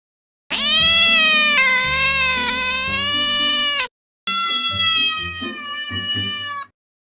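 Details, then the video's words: Two long, sustained cat meows, the first loud and slightly wavering, the second flatter and quieter, with soft music playing underneath. "World's cutest cats & cat sounds"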